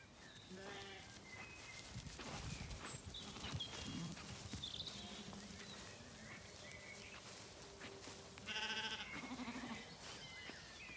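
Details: Zwartbles lambs walked among in an orchard in County Kilkenny, Ireland, on a warm evening as the day cools; steady birdsong and rustling footsteps lead to one loud, quavering bleat near the end.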